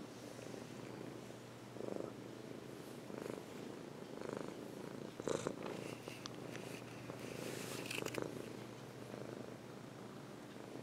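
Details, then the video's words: On its owner's lap, a domestic cat purrs in a deep continuous rumble, broken by brief rustling and shifting sounds midway. "Purring on my lap"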